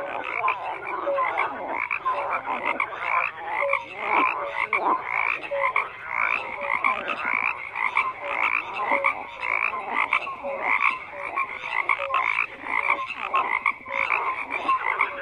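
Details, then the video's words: Many frogs croak together in a continuous, busy chorus; rapid overlapping pulsed calls and occasional short whistled notes keep the sound dense and unbroken throughout. "FROGS CROAKING"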